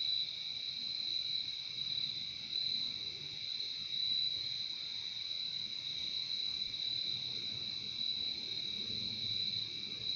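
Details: Crickets fill a relaxing nature soundscape with a constant high, ringing buzz in two close tones, unchanging in rhythm, above a quiet low rumble that swells slightly now and then.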